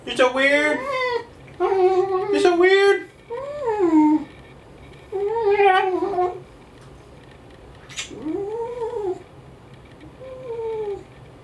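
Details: Pet dog howling along when its owner howls, indoors in a small room: long wavering howls rising and falling in pitch, in bursts of one to two seconds, some overlapping a human voice howling.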